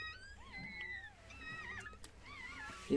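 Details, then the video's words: Chihuahua giving birth to a litter of seven puppies. High, thin, wavering squeals slide up and down in several short, overlapping bursts while the puppies are counted aloud. Faint background hum. "chihuahua doğum anı"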